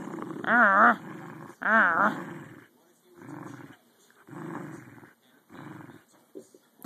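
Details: Two American Eskimo dogs, adult female Lexi and 12-week-old puppy Maru, playing tug; loud wavering growls rising and falling in pitch, then softer rumbling growls repeated about once a second.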